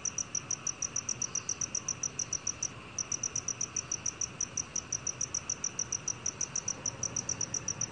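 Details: Black field cricket singing, National Institute of Biological Resources, Korea, 2020. An unbroken series of shrill, evenly spaced chirps, roughly three to four a second, with one short gap near three seconds.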